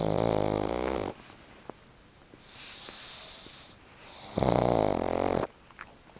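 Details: During a midday nap on a soft, sun-dried futon, Chicchi the pug gives two loud, long, throaty snores, each about a second, separated by a quiet inhalation.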